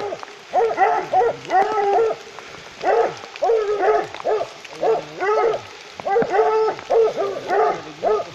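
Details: A wild boar, recorded 7 October 2018 at Champagnac, gives a series of short, nasal, wavering grunts in quick bursts.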